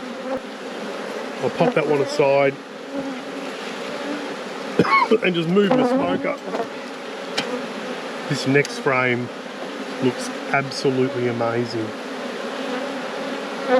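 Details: Honey bees in a beekeeper's apiary during a hive inspection: a steady, low droning hum runs throughout, with a second tone above it. Short bursts of a man talking break in repeatedly.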